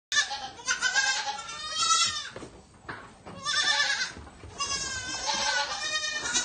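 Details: Baby goats bleating while being fed milk: several wavering, quavering bleats with strong harmonics, overlapping in bursts across the clip with short quieter gaps between.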